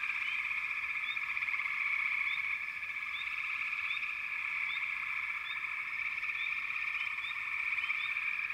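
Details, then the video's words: Frog chorus of many overlapping callers forming a steady, dense trilling drone, with short rising chirps repeating above it throughout; no other clear sounds. "Frog Chorus"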